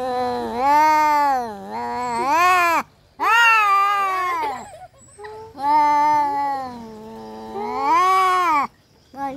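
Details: Domestic cats fighting: long, wavering harmonic yowls of two to three seconds each, rising and falling in pitch, four drawn-out howls separated by short silent gaps.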